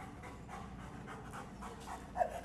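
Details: Berlin, a one-year-old German Shepherd at a boot camp in Atlanta, Georgia, described as very mouthy and distracted, pants in quick rhythmic breathy puffs, with a brief louder sound near the end.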